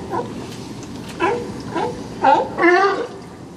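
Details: Sea lions at Old Fisherman's Wharf, Monterey, California, fighting for spots; a few short, hoarse harmonic barks spaced apart, rising in loudness toward the end, over low background murmur.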